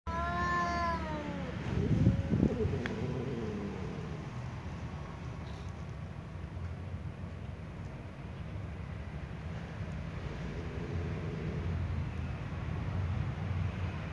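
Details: Ginger cat facing off with a tom cat: drawn-out, wavering yowls that slide downward open the exchange, then a lower moaning growl, with steady outdoor rumble and hum throughout.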